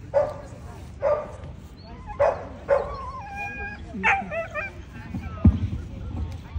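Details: American Pit Bull Terrier at the 2024 ADBA Tristate conformation dog show, 12–18 month female class: four sharp barks in the first three seconds, then a high whining yelp and a few more barks, with voices murmuring underneath.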